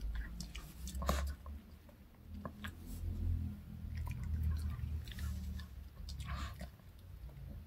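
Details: Dog Reka eating a chocolate cupcake and drinking milk indoors, a snack from the K Pet Fair; loud, close, moist chewing and squishy bites with deep low thumps, in waves throughout, with a faint whisper-like murmur.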